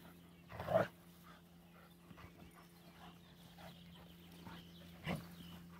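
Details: Dog from a Rhodesian Ridgeback and Irish Wolfhound pairing: one short, loud, sharp bark near the start, then a second softer bark about four seconds later, over a steady low electrical hum.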